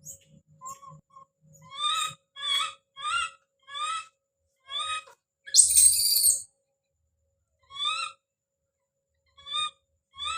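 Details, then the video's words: Shrill, stacked cries from baby monkey Don as he calls out, repeated roughly every half second to second. A brief rough noise burst midway, with a faint steady tone underneath. "The sound of baby Don's scream as he called out"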